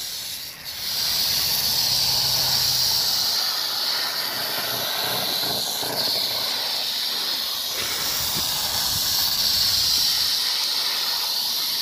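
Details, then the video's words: Continuous rattlesnake rattle from 1 July 2018, a sustained high hissing buzz that starts after a short quieter moment and stays loud and unbroken for nearly twelve seconds, with faint low rumbling beneath. "Víbora de cascabel."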